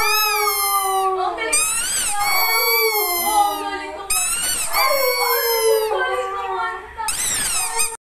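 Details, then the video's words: Siberian Husky kept as a pet, vocalizing as if singing: repeated talkative howls in bursts of about a second, each opening with a rising yelp and sliding down into a wavering moan, in a small indoor room. "siberian husky coco chan the singer dog"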